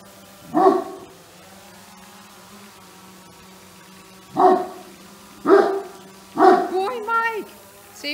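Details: Great Dane puppy, curious and clumsy, encountering a drone at home: four short, harmonic barks spaced one to four seconds apart, the last trailing into a wavering whine, over a steady low hum.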